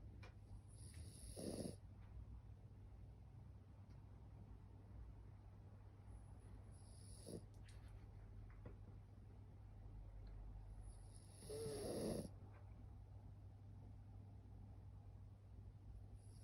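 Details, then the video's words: Moo, a female French Bulldog, sleeps with her eyes almost open and snores: soft, breathy snorting snores come about every five seconds, faint against a steady low background hum. "目をほぼ開けたまま寝ていびきまでかくフレブルのモー The frenchie is sleeping with her eyes open and even snoring"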